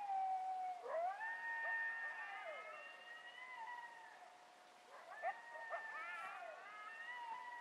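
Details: Several coyotes howl together after dark in Palo Duro Canyon on April 9, 2010, giving long, wavering tones broken by sharp yips.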